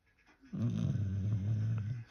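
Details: American Bully puppy sleeping and snoring loudly indoors: one long, low, rumbling snore lasting about one and a half seconds, with a woman's voice heard just before and after.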